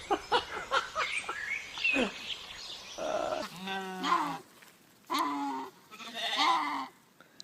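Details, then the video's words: Goat bleating in a funny compilation of noisy goats and sheep: after several seconds of people talking, a wavering, quavering bleat with a tremolo, then two shorter nasal bleats, and a woman's voice between calls. "Funny idiot goats & sheep making noise"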